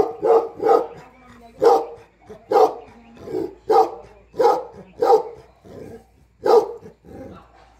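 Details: Bhote Kukur, the Tibetan Mastiff of Nepal, a guardian of house and farm when the owner is absent; repeated deep, resonant barks spaced unevenly, roughly one or two per second, with brief gaps.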